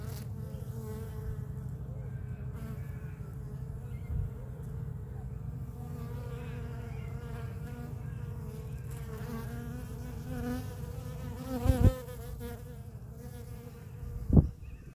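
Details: Bees collecting sap from a pepper tree's bark make a steady, low wing hum that wavers slightly in pitch as they move about.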